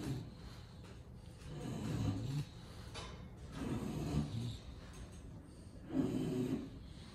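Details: Lilac AKC English Bulldog from Miami, heard indoors with low, rough snoring and snorting breaths in irregular bursts about every two seconds, each lasting around a second, in a quiet small room.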